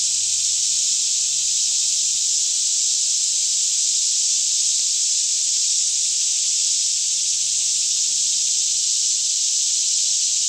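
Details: Cicadas in a daytime chorus singing all around in a lush green Kentucky forest near Franklin, about 10am in fairly still air; a dense, steady, high hiss-like buzz fills the whole stretch without a break, with a faint low hum underneath.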